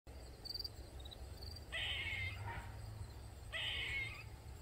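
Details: Squirrel crying loudly in a backyard in Maryland, where it kept calling for over 45 minutes: two harsh, nasal, wavering cries about two seconds apart over a low steady hum, with faint high chirps early on.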